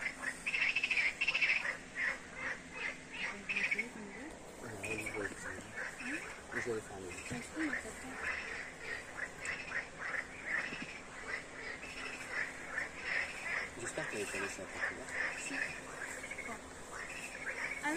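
A night chorus of frogs, many overlapping croaks and quacking notes pulsing together.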